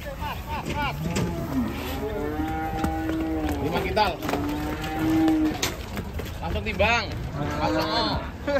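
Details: Agitated, rampaging cow at a cattle market bellows several long, low moos with steady harmonic tones, some rising then falling. People shout and talk loudly throughout.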